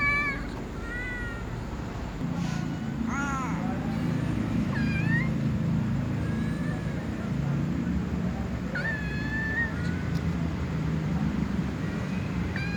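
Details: Young cats meowing sleepily before eating with other cats; short, scattered, rising meows from more than one kitten over a loud low background rumble.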